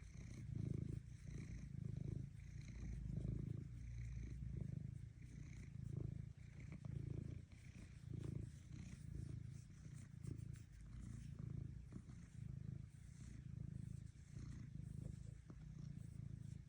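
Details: Continuous low, throbbing cat purr lasting over fifteen seconds, rising and falling in even breath-paced pulses, with slight higher-pitched scratchy noises in the background.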